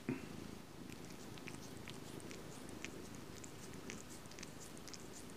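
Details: Domestic cat purring close up, a continuous low, even rumble throughout, with scattered faint high clicks and ticks above it.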